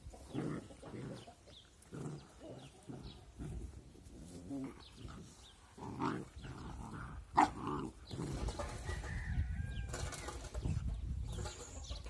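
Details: Two puppies at rough play, seemingly angry, give repeated low grumbling growls in short bursts, one sharp yelp around the seventh second, then a brief higher whine over steady low background noise.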